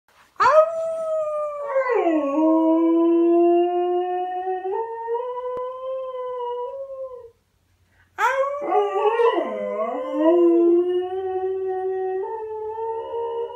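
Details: Pet dog named Pinto howling: a long, sustained mid-pitched howl that slides down then holds steady and steps up, a short silence, then a second wavering howl with dipping, bending tones.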